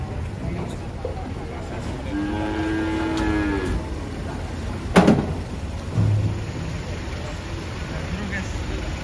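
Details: A giant, agitated cow being unloaded from a truck gives one drawn-out moo lasting about a second and a half, its pitch arching gently, while men chat nearby and a sharp bang sounds shortly after.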